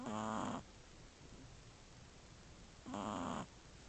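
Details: Asleep among its sisters, a Shih Tzu puppy one month and three weeks old gives two low, buzzy, half-second snores about three seconds apart, with faint room hiss in the gaps.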